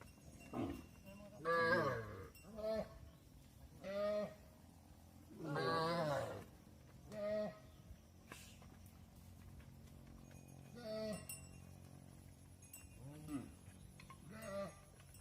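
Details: Mother cows move into the barn, calves left outside, trading repeated harmonic moos: strong bellows near two, four and six seconds, then softer calls spaced through the rest, low farm hum beneath.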